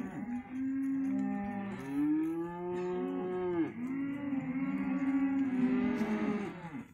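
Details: Hereford calves, male and female, offered together as one lot, bawling in long drawn-out moos that overlap one another, several calves calling at once with steady loudness throughout.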